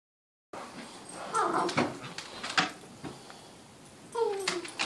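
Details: Bella and Sampson at play: a one-year-old Doberman with a ten-week-old Great Dane mix puppy. Scattered scuffles and thumps give way to a high, thin, falling whine near the end, with a shorter whimper just before it.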